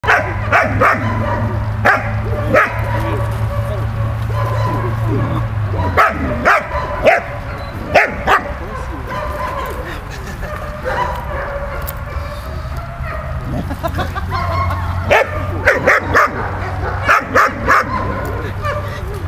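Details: Dog Malta at play with Bulat: sharp broadband barks and yips scattered through the clip, in clusters near 2, 6–8 and 15–18 seconds, over a steady low hum that fades after about six seconds and returns later.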